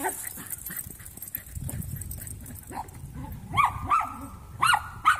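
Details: Three young Jack Russell mixes at play; low scuffling and rumbling at first, then a run of sharp, high arching yips with whiny overtones in the last couple of seconds.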